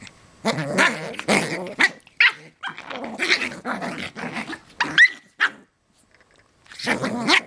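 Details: Playful West Highland White Terriers, puppies and parents wrestling, trading gruff growls and short sharp barks in rapid bursts, a thin squeak near the end, a short pause, then growling again.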